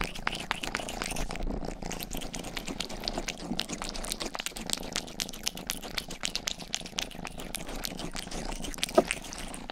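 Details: Rang-i, a young house cat, grooming a microphone ear indoors: dense moist licking clicks in quick succession layered over a continuous low purr, with brief pauses near the middle.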